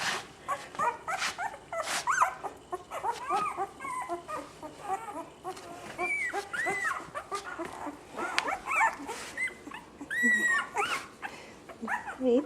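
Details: Litter of six female puppies whimpering and yipping, a dense overlapping chorus of short rising and falling whines, with a person talking softly nearby.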